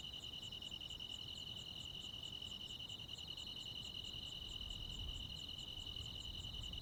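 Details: Rural Korean summer night with crickets and other insects, a constant shrill ringing trill holding steady throughout, topped by soft rhythmic pulses about two to three per second, and a mild low hum underneath.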